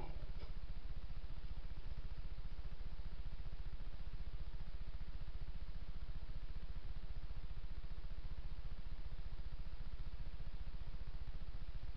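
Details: A steady low engine-like rumble with rapid regular pulsing fills the recording, and no animal voice can be picked out.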